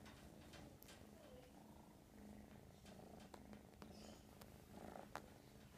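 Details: American Shorthair kitten named Mash purring continuously indoors, a soft, steady low rumble running unbroken through the whole stretch, with a few faint clicks and rustles above it.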